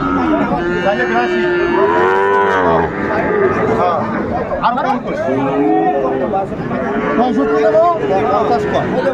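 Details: Sahiwal bulls and calves at a Bangladeshi cattle market on 20 December 2024, bought by a farmer from Dhaka: several deep, sustained moos rising and falling, some lasting about two seconds, over constant market chatter and people haggling.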